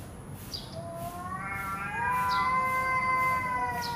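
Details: Angry domestic cat, not fighting, giving a long drawn-out harmonic yowl. It starts low and rises and swells from about the middle, holding a steady wavering tone to the end. Faint clicks are heard in the background.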